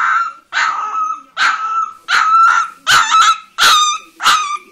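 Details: Young female Leonberger, orange-coated, gives seven high-pitched barks, each a short bright yelp with a slight trailing whine, spaced roughly every two-thirds of a second.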